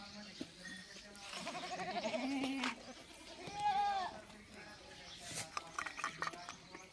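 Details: Goat receiving medicine for a fungal infection, bleating twice mid-clip: a lower, wavering, harmonic-rich bleat followed by a shorter, higher quavering one, with faint human voices and handling clatter around them.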